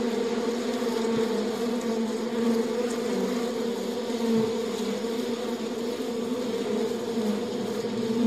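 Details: Steady, thick buzzing of many honey bees within their hive, a continuous low drone with a higher humming layer and faint crackles throughout.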